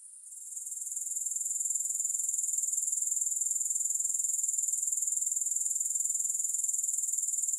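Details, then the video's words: Grasshopper chorus offered for relaxation with no music: the shrill insect trill swells in over the first second, then holds as a steady, finely pulsed high buzz. "Grass Hopper Sounds"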